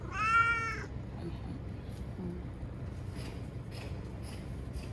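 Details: Timid ear-tipped TNR cat Chanta, formerly Nyaa, crying while being caught and sheltered in a bathroom from Typhoon No. 10, September 2020; a single loud, bright meow in the first second, then quiet background.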